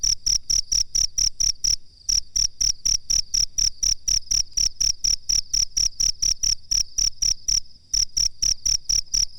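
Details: Cricket chirping, recorded as a master track for training songbirds: bright, high, clicky pulses about four per second, broken by two short pauses, with a dull thump under each pulse.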